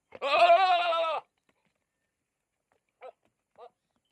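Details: A goat gives one long, shaky, harmonic-rich bleat lasting about a second, followed by silence and two brief faint bleats.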